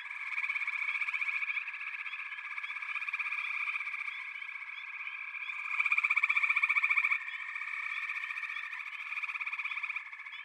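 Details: Frog chorus with a continuous high-pitched trill, pulsed rapid notes swelling and fading as different callers join, no other sounds audible.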